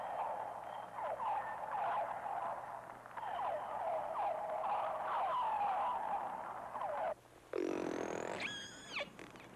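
Whale voices underwater: squeaky, wavering whistles and chirps, then a rising whistle with bright harmonics.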